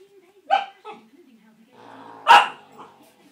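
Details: Clumber Spaniel puppy giving two short, sharp barks about two seconds apart, with a low, faint background murmur between them.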